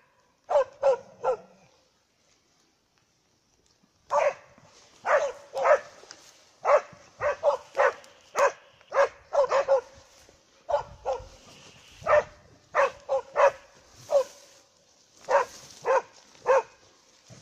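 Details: Two dogs barking while holding a moose at bay, loud sharp barks in quick bursts after a quiet opening, then steady repeated barking about every half second to second, one dog sometimes doubling up its barks.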